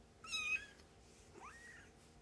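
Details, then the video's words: Foster kittens, about three weeks old, nursing and playing indoors with their mother cat; one short, high, harmonic mew wavers briefly, then a fainter rising squeak follows in a quiet room. "Kittens Nursing, Purring, Playing"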